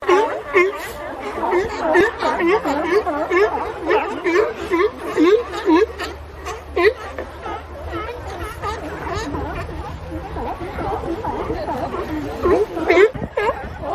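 A crowd of sea lions calling together, a dense chorus of hoarse, rising-and-falling barks and bleats.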